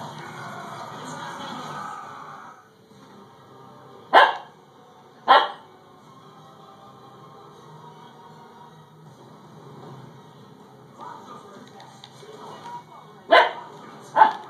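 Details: Siberian Husky puppy Dakota, female, reacting to a doorstopper she dislikes; a low rumbling sound opens, then sharp single barks at about four and five seconds, and a close pair near the end.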